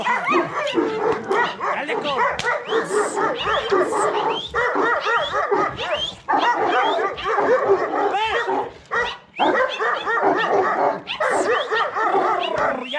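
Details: Bucovina Shepherd Dog at Paltinu, barking in a dense, continuous run of overlapping barks in bursts with short pauses, possibly more than one dog, with some whimper-like notes mixed in.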